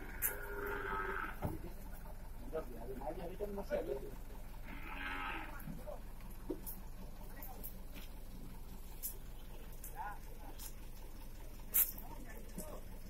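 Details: Beef cattle being relocated from Batu Class I prison to Nusakambangan Class IIB open prison, Indonesia: two separate lowing moos several seconds apart over steady background rumble, with occasional bangs and faint voices.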